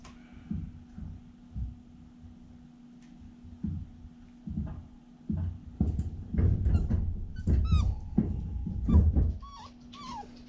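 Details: A female Siberian Husky puppy playing in a pen, perhaps wanting attention, gives short, high whimpers and yips amid soft thumps and a low background hum.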